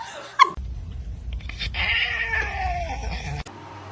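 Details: Domestic cat in a funny-cats compilation giving a drawn-out, wavering meow that sits over a steady low rumble of background noise, with a sharp click near the start and another near the end.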